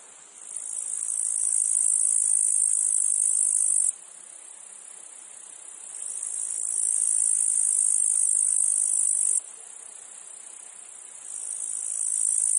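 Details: Meadow field cicadas give a shrill, steady buzz that builds up and then stops suddenly, leaving a quieter hum of insects before the next swelling phrase begins. Two full cycles are heard.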